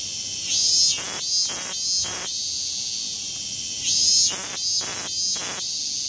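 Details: Tokyo cicadas among temple and shrine woods in Japan: loud rasping buzzy phrases in clusters of three, then a pause, over a steady shrill whine of many more insects.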